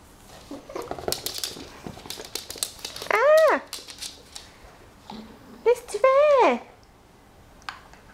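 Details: Dog indoors giving two drawn-out, tonal whining howls that rise then fall, each lasting about half a second to a second, separated by a pause, amid scattered clicks, tapping and brief handling noises in a small room.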